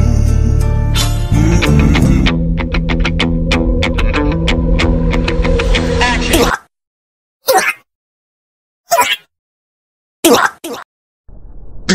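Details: Plucked guitar music plays for several seconds, then gives way to short bursts of speech separated by silence; no animal sound is heard.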